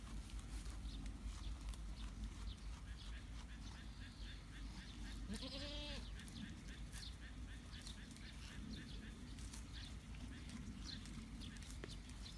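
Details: Baby goat one week old bleats once around the middle, a quavering nasal cry with stacked harmonics, while rapid soft ticking and a constant low outdoor hum fill the rest.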